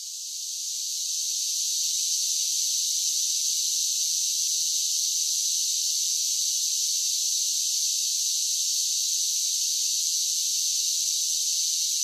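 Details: A chorus of cicadas in summer fades in over the first two seconds, then settles into an even, shrill, unbroken buzzing hum; no other sounds.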